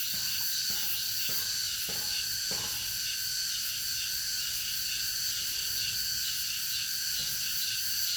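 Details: High, rasping cicada chorus in August, steady and pulsing throughout, with a few faint short tonal notes in the first three seconds.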